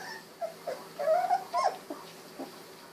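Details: Golden Retriever puppy at 16 days old, eyes just opened: a short series of thin, wavering whimpers, the longest sliding slightly upward, over a faint steady hum.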